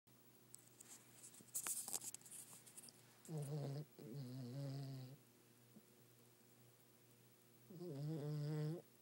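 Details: Pet dog snoring in bed at night, with three long, droning, wavering snores of one to two seconds each separated by quiet breathing pauses, and some rustling at the start.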